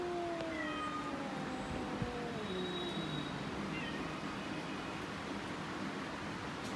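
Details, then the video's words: Cat giving a long, slowly falling yowl that glides downward over a few seconds, followed by fainter wavering tones, against a constant low background rumble. "Cat funny sounds"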